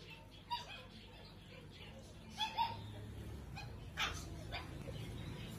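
Young Alaskan Malamutes let out brief, sharp yelps and higher whimpering cries, spaced irregularly over a few seconds. A low background rumble and faint voices sit underneath.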